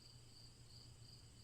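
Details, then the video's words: Brief stretch of crickets giving high, evenly spaced pulsed chirps above a low humming drone. "Crickets Chirping"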